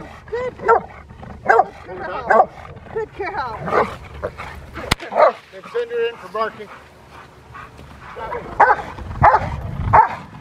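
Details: Female Rottweiler Freya vh Odom barking in protection training, November 21, 2021, ahead of IGP1 and Ztp trials; bursts of loud barks at uneven intervals, with a sharp crack near the middle and people talking throughout.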